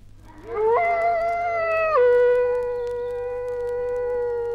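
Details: Dingo howling in Australia, from a 1968 wildlife record: one long, clear tonal howl that swoops upward, holds steady, then drops to a lower sustained pitch with rich harmonics. No other clear sounds.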